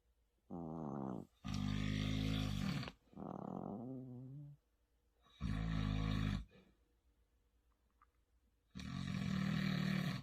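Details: Maltese puppy snoring in a duet: thinner, wavering, higher-pitched snores alternate with deep, harsh, rasping snores, each lasting one to two seconds, in a quiet room.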